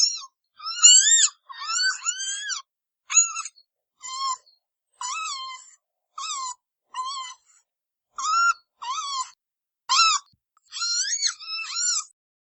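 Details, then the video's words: Red panda (Ailurus fulgens) squealing repeatedly: short, high, bent notes, some arched and some sliding down, arriving roughly every second against a silent background. "小熊貓叫聲 紅熊貓 九節狼"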